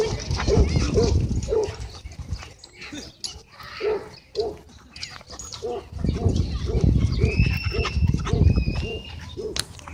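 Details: A large group of dogs running and playing at a dog park on a Friday evening; short, low, repeated barks or huffs come in quick bursts about every half second, over steady wind rumble, with a few thin high whistles near the end.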